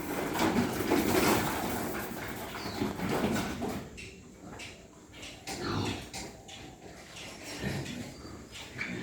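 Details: Several pigs on a farm of white pigs in Hooghly, India, seen on a morning round: dense overlapping grunts and rough snorts for the first four seconds, then sparser grunting among clatter and background farm noise.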